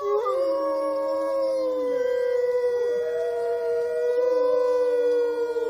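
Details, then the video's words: Pack howl of wolves at Olomouc, 29 August 2013: several long, pure-toned howls held at close pitches overlap, one briefly dipping and returning, others entering lower, forming a steady, ringing chorus. "Wolves Howling"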